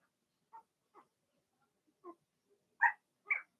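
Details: Blenheim Cavalier King Charles Spaniel puppies from Remy's first litter of six, in an indoor home puppy pen during potty training: short squeaky yelps, sparse and soft at first, then two louder, higher squeals close together at the end.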